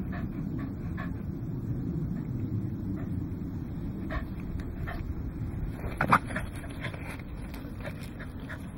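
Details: Goro, a Welsh Corgi, playing with an O-ball on 21 November 2009, recorded with a Casio High Speed Exilim EX-F1; soft, breathy panting over a steady low rumble, with scattered light clicks and a sharper knock near six seconds.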